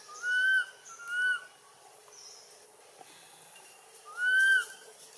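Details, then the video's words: Pitiful infant macaque Anissa calling her mother Anna for help from King Aron in Siem Reap Province: three clear, arched, whistle-like wails, the first two back to back, the third after a three-second pause, over a quiet background. "Pitiful Baby Monkey Anissa Crying Long Mouth Low Sound Asking Mum Anna Help From King Aron"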